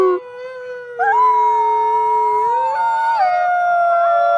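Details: Howling wolf, possibly more than one voice: sustained tonal howls overlapping, one holding steady while another rises, then steps down and levels off; smooth, mournful and continuous.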